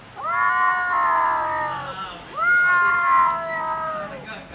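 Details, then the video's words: Angry cats fighting and arguing over food: two long, drawn-out wavering wails with rich harmonics, each lasting about two seconds, rising at the start and sagging at the end. "Angry cats fight and argue about food"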